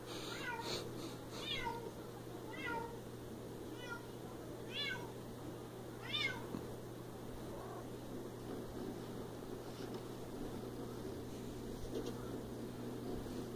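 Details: Repeated meows from a Siamese cat, quick bent harmonic calls coming roughly every second early on, then fading into quieter, sparser cries, against a constant low hum and soft indoor background.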